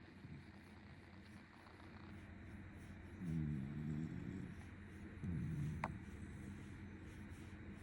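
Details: Pet Shiba Inu dozing while being stroked, letting out a sudden loud snore: two low, rough, harmonic rumbles, each under a second, about two seconds apart, over a quiet room hum with one brief sharp click.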